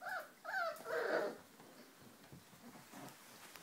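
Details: Four-week-old Giant Schnauzer puppies of the H litter from the vom Ruhrtal kennel, indoors: three short, high, whiny yelps crowd the first second and a half, bending up and down in pitch, then a quiet room with faint rustling and soft squeaks.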